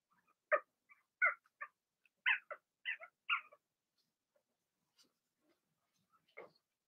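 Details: Blenheim Cavalier King Charles Spaniel puppies from a litter of six, two females and four males, in an indoor puppy pen during potty training; a quick burst of about seven short, harmonic yelps, then a pause and one more yelp.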